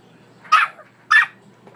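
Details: Bully puppy barking to tell its owner to wake up: two loud, short, rasping barks about half a second apart, then a softer third starting at the very end.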